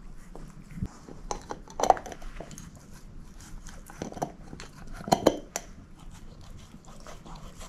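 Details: Moose, a shepherd mix, gnawing a bone: sparse crisp bites and clicks, a cluster of sharp cracks near the middle, soft breathing-like noise between, recorded in a small quiet room.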